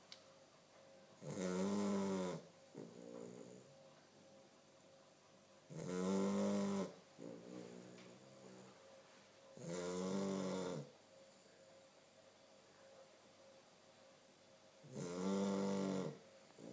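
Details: A 2-month-old Chow Chow puppy snores heavily in slow, rasping breaths, a loud inhale roughly every four seconds.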